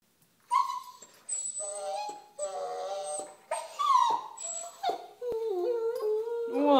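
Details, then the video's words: A jealous Boston Terrier whimpers while its owner walks a toy fox terrier: a run of drawn-out, high, wavering whines and squeals, some sliding up and down, nearly continuous for several seconds indoors. "Aldous being jealous"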